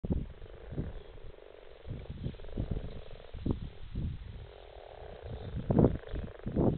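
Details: Frogs gathered in a garden pond in February 2017, giving low, rough croaks in short bursts that overlap and pulse irregularly, with a steady low murmur of many calling frogs underneath.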